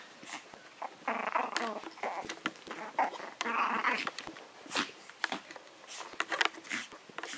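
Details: Maltese with a Yorkshire terrier in a contest: two bursts of raspy growling early on, then scattered short yips, snaps and scuffling noises with a faint voice.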